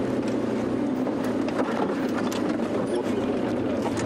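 A steady engine rumble of a vehicle outdoors, with no animal calls heard.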